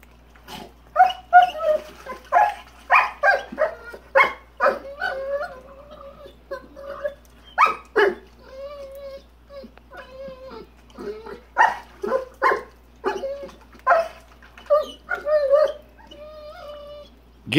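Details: Persistent barking from Rottweiler PHred at the big rock in his pool: rapid gruff barks, many in a row, interspersed with drawn-out whining, moaning tones and brief pauses before barking resumes.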